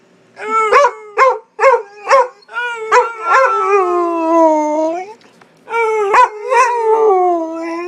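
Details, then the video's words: Howling contest between a Pit Bull and its owner: a string of quick, clipped yips gives way to long, steady howls that sag slightly in pitch. A short gap follows, then more drawn-out howling. "Pittbull howling"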